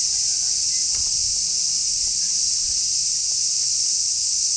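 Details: Large brown cicada singing on 6 August 2016 at Kenmin Kenko Fukushi Mura, Koshigaya, Saitama Prefecture, Japan: a steady, unbroken high sizzling drone with no pauses, with faint low sounds behind it.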